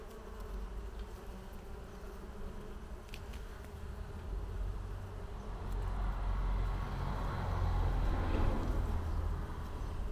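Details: Bees humming under a green pergola on a summer terrace in afternoon heat; a low, steady drone that swells louder in the second half, with a brief broader rush of noise near the end.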